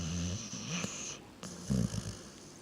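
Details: Reese, a sleeping pet dog, snores in deep, rattling low rumbles, one long snore fading at about one second and a louder one near 1.7 seconds, with airy hiss in the background.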